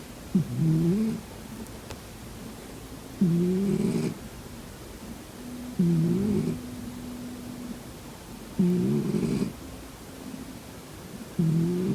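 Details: Snoring from a sleeping house cat: five rhythmic, gravelly, low-pitched snores recur about every two and a half to three seconds. A faint soft hum lingers between breaths in a quiet indoor setting.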